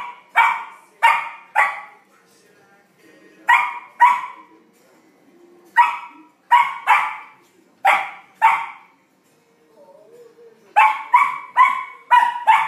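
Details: Flake, a Samoyed puppy, curious while playing with his first big ball: loud high barks in pairs and bursts, spaced irregularly with quiet gaps, a final rapid run of four barks near the end.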